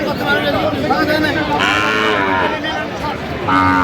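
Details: Sahiwal bull calves for sale at a Kurigram cattle market in Bangladesh on 20 January; a rich arched moo swells and fades midway, with another lowing call starting at the end, beneath busy market voices.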